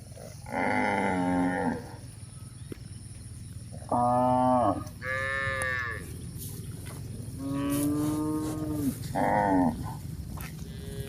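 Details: Cows journeying over a hill in the countryside, mooing repeatedly: about six full, harmonic bellows, each lasting around a second, some rising then falling, over a soft background rumble.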